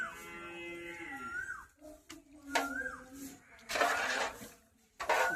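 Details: Village cattle, a big mother cow and her calf, brought home from the field in the evening before feeding rice gruel; a long moo gliding downward for nearly two seconds, then a shorter call, with bird chirps and clattering bursts.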